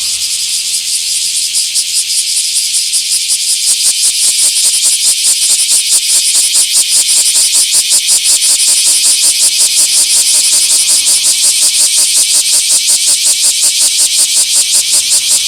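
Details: Bear cicada recorded in a small park on 24 July 2026: a steady high buzz at first, then sharp rhythmic pulses build and grow louder, continuing in a fast, regular throb to the end.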